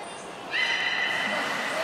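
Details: Beluga Hodoi at the Port of Nagoya Public Aquarium, Japan, during a training session for gastric fluid sampling and blood collection on 6 January 2019: a brief thin high tone, then a steady, rich, harmonic squeal held for over a second.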